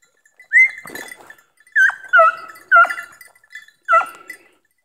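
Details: Beagle and Segugio hounds hunting hare in August, giving loud, tonal baying yelps in short bursts, four main cries spaced roughly a second apart, each sliding slightly downward, with a quiet background and no other sounds.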